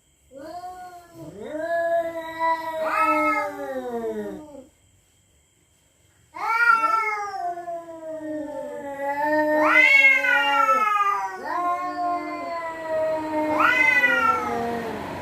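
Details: At night, territorial cats threaten each other with eerie, wailing yowls. Long moaning cries rise and then sag in pitch, with a two-second silent pause in the middle. Later cries climb higher and more strained, overlapping in tense, drawn-out bursts.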